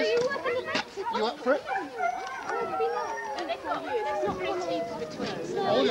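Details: Sled dog race huskies, Forest of Dean, November 2001, from an old VHS recording: a dense, continuous chorus of excited yips and wavering howls sliding up and down, dozens of voices crossing one another without pause.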